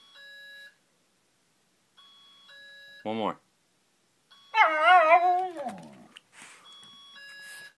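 A Shiba Inu howls in a wavering, sliding voice over the steady electronic beeping of an alarm clock.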